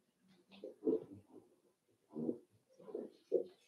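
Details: Five-week-old Cavalier King Charles Spaniel puppies in Daisy's indoor puppy pen: soft, low grunting and snuffling whimpers come in short bursts, four or five quiet clusters over a few seconds in a small room.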